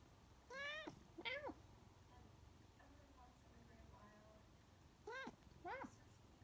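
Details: Talkative Siamese cat in a back-and-forth exchange with its owner, asking for more kibble: two harmonic rising-falling meows, a quiet gap with faint low voices, then two more meows about five seconds in.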